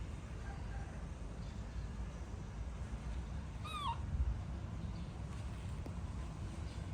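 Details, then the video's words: Upset baby monkey crying when its mother walks away, one brief high downward-sliding squeal with bright harmonics midway through, over constant low rumbling noise. "Adorable Baby Monkey Tantrum When Mom Leaving"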